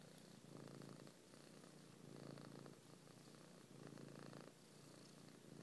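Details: Cat kneading a belly with its eyes closed, purring: deep vibrating rumble in rhythmic swells roughly one second long, each followed by a quieter breath-like dip.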